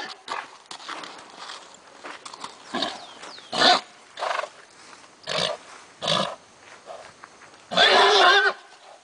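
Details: A Lusitano stallion at a breeding farm, provoked in front of mares, gives a series of short, rough, squealing bursts about a second apart. A longer, strained, harmonic squeal closes the sequence.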